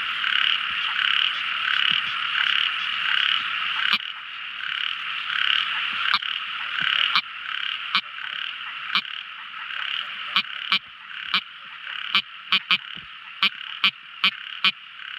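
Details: At night, a loud, continuous, pulsing chorus of small frogs gradually thins out, and crisp, sharp clicks take over, coming faster and closer together toward the end.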